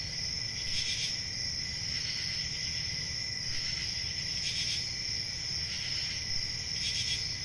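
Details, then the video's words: Summer night chorus of crickets: a continuous shrill, even trill, punctuated by brief louder chirp bursts roughly every two seconds over faint low background noise. "Summer Night Cricket Sounds"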